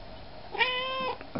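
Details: Russian Blue cat that comes when called, sits on command and follows like a dog answers its owner with a single clear meow of about half a second, level then dropping at the end, followed by a person speaking French.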